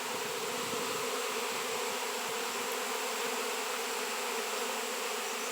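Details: Many honey bees swarm around a raw 7 lb shungite piece, producing a thick, unbroken hum that swells slightly in loudness in the first second.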